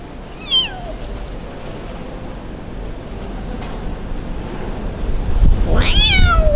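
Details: Street kitten abandoned by its owner on a cold, rainy day: one short, falling meow near the start, then a long quiet stretch of low background rumble, and a louder rising-then-falling meow at the end.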